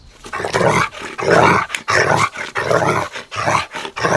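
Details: Golden Retriever puppies at play outdoors make harsh, rasping, growl-like sounds in rough bursts of about half a second, broken by short pauses.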